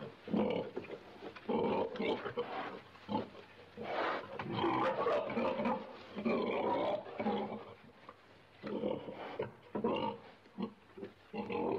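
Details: Pig giving harsh, broadband grunts and squeals in irregular bursts of one to two seconds, separated by short quieter gaps.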